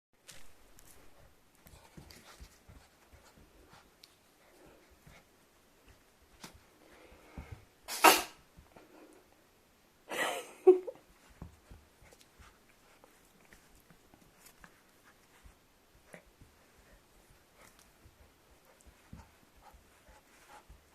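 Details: Ten-month-old apricot Toy Poodle indoors, freezing in place after sneezing; two sharp, breathy bursts about two seconds apart near the middle, otherwise quiet room with faint rustling and soft taps.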